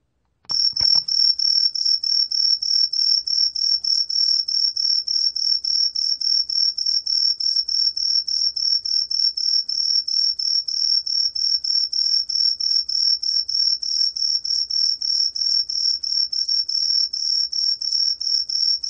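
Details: Truljalia hibinonis cricket from a 2020 National Institute of Biological Resources recording, starting after a brief click: fast, continuous series of short, shrill chirp pulses, about three per second, steady and unbroken for the whole stretch.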